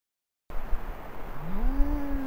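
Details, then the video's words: A Canada lynx screams while walking past a trail camera near roadkill in western Maine, giving a drawn-out, rising wail that swells and then holds steady. "Canada lynx screams while walking past Maine trail camera"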